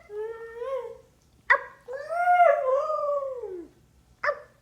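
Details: Siberian Husky reacting to its owner making animal sounds gives drawn-out, wavering howls. A steady tone is followed by a longer one that rises and then slides down at the end. Sharp clicking knocks come between the calls.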